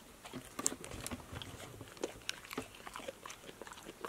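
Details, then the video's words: Female pet dog eating healthy snacks indoors (apple slices, lettuce leaves, sunflower seeds in shell, tomatoes, green beans), recorded close up: sharp crunchy bites and wet chewing clicks, irregular, several per second, in a quiet small room. "DOG eats crunchy snacks"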